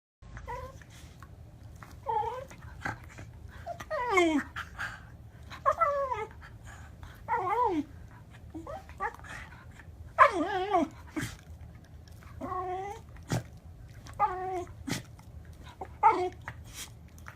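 A Pembroke Welsh Corgi gives a string of wavering, warbling whines and yodel-like moans.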